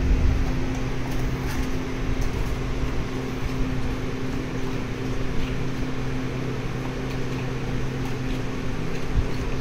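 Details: A continuous low mechanical hum, like a fan or appliance indoors, runs throughout with no animal voice.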